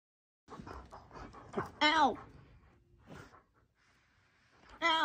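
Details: Siberian Husky being dramatic indoors: low murmured sounds and speech early on, then a loud drawn-out whining yelp near two seconds with sharply falling pitch, and a similar strong whine beginning at the very end.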